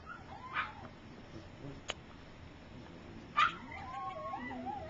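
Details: Gypsy's three-week-old puppies, some taking first steps while others sleep, give a short yelp, a click-like tap, a sudden squeal, then a thin wavering whine that trails on to the end.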